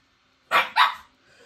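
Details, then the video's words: A Shih Tzu, called capricious, barks unhappily indoors because it wants to be picked up and its companion is out in the garden; a pair of loud, clipped barks close together, then faint room noise. "Oui, oh là là. Oh là là. Vous entendez le malheur du Shih Tzu capricieux."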